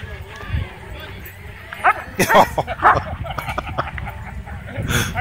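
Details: At a dog park, dogs chasing a DJI Mavic 2 drone let out a quick run of three or four sharp barks. People talk close by, with outdoor background noise.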